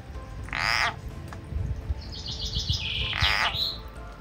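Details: Frog in a home garden calling while a snake grips it from behind and drags it away; two short harsh, buzzy bursts about two and a half seconds apart, a thin high bird-like note between them, over low rustling background noise.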